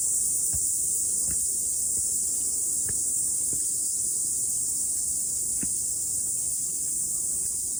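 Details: Morning hike to a mountaintop after rain, cicadas singing: a continuous high, sizzling buzz without pause, with a few scattered low thumps and clicks beneath it.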